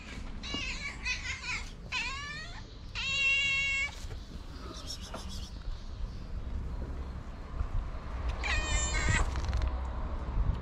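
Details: Tabby cat meowing loudly to summon other cats for food: four harmonic, drawn-out meows in the first four seconds, some bending down then up in pitch, a brief high squeak near five seconds, and a final meow, over a low steady rumble.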